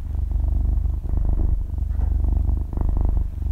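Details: Half-year-old kitten purring while asleep, recorded close up: dense, low vibrating rumble in three breath-linked swells over a few seconds, fine rapid pulsing throughout, no other sounds.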